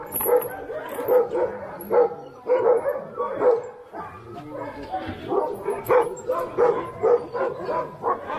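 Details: Alaskan Husky sled dogs at Snowhook Adventures in Willow, Alaska, barking in short repeated bursts roughly every half second to second, a chorus of several dogs with faint human voices mixed in.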